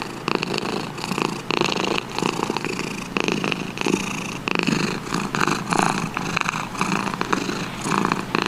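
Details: A domestic cat's throaty purr, grainy and sustained, rising in strength roughly every second in rhythmic surges.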